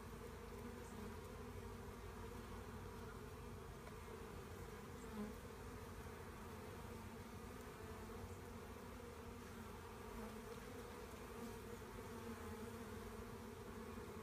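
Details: Swarming honey bees during collection of the swarm, giving an unbroken, even hum of many wings, full and low-pitched, holding a constant level with a few soft bumps in the background.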